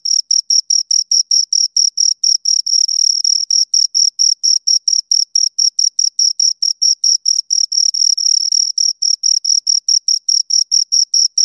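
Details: Two crickets chirping: a steady stream of short, shrill, high-pitched pulses, roughly four to five every second, with no other sounds around them.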